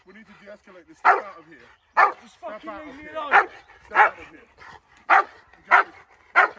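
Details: American bulldog barking during woodland protection training, a steady run of loud, harsh barks roughly once a second, mixed with a man's voice and softer whining sounds in between.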